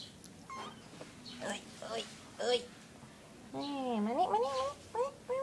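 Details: Domestic cat, one of three kittens with their mother: a drawn-out, wavering meow with a rising-then-falling bend, plus short mews before and after, mixed with a person's voice calling the little one to look up at the camera.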